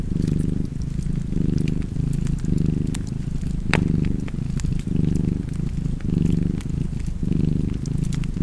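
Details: Steady low purring from a cat, the rumble pulsing in about eight breath cycles, one loud snap near the middle and lighter fire crackle around it.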